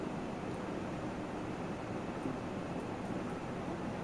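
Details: Steady broadband hiss and low rumble like distant traffic, with no animal voice heard.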